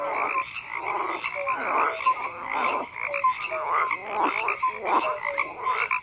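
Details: Night frog chorus of repeated raspy croaks swelling in bursts about once a second, with short bright whistled notes threaded between them over a steady buzzing backdrop.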